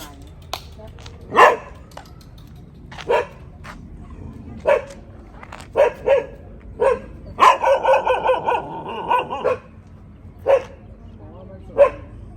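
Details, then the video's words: Dogs at a friend's home in Thailand give scattered single barks every second or two over a steady background hum, then a brief burst of rapid overlapping barking in the middle. "เสียงหมาเห่า ที่บ้านเพื่อนในประเทศไทย"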